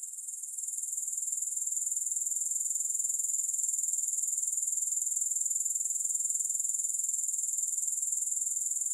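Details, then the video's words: Continuous thin, high buzzing of grasshoppers, rapidly pulsed at roughly four beats a second, swelling slightly in the first second and then holding even; nothing else audible. "3 Hours of Grass Hopper Sounds"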